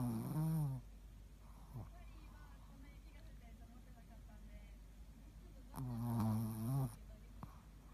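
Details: Ruby the Shih Tzu, shop mascot dog at a Sakado tennis school, asleep on 13 February 2018. A loud, throaty snore opens, then a quiet pause, then a second rattling snore lasting about a second.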